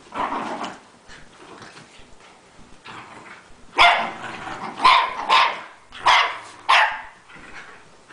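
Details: Rat terriers romping in play, several dogs together including littermates; low growling at first, then a run of sharp, loud barks in quick succession, about five bursts over the last four seconds.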